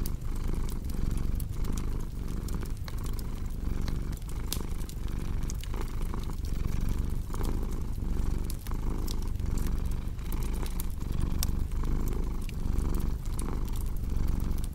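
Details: Low rumbling purr of a cat, rhythmic and unbroken, rising and falling with its breaths over the whole stretch, overlaid by bright clicks and pops of a crackling fire.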